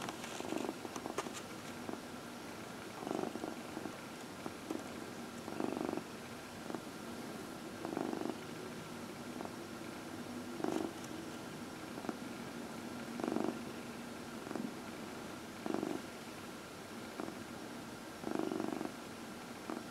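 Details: Domestic cat purring while being massaged, one of four house cats, indoors; steady low rumbling purr with soft rhythmic pulses of louder breathing-like bursts roughly every two to three seconds, faint hiss in the background.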